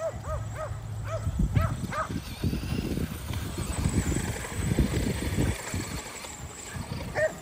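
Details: Five Kerry Blue Terriers exercising at home against an E Revo remote-control car; a burst of high, arched yelping barks in quick succession over the first two seconds, then rumbling, scuffling motor and movement noise dominates.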